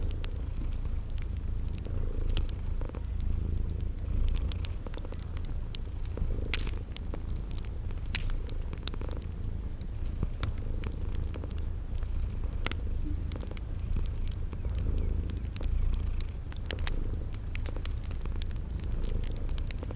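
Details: Purring from sleeping cats, a continuous deep rumble that swells gently with breathing, set against a crackling fireplace and a high chirping insect that repeats steadily in a spring garden ambience.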